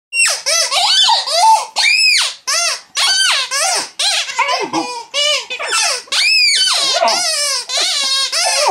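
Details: Female mastiff puppy squeaking back at her toy indoors: a rapid run of short, high, arching squeals and yelps, each rising then falling, packed closely with only brief gaps between them.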